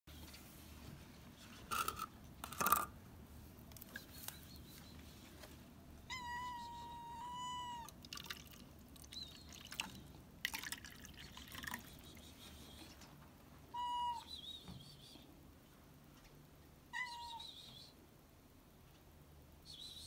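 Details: Stray cat on a roof, meowing for food: three drawn-out harmonic meows, the longest about a second and a half, separated by several seconds, with sharp knocks and taps between them over a low background hum.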